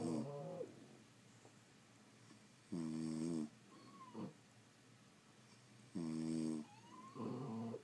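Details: Two-part snores from sleeping French Bulldogs indoors: rough rattling bursts about every three seconds, separated by quieter breaths and a brief high whistle from the nose.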